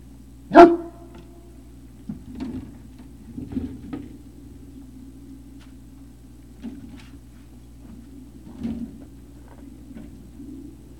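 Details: Great Dane puppies on Puppy Hill, 03-05-2019, early evening: one loud, sharp bark at the start, followed by scattered faint yips and soft whines against a low indoor hum.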